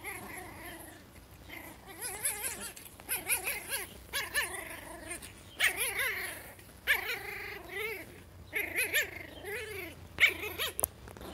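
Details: A puppy gives repeated rising-and-falling whines and yips, several short wavering calls spread across the recording, with faint background noise.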